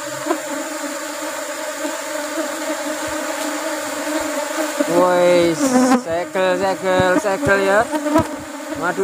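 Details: Honey bees at harvest time while rubber trees are in bloom. A steady, low humming drone with layered overtones opens the clip. After about five seconds, wavering, sliding buzzes follow as bees pass close by.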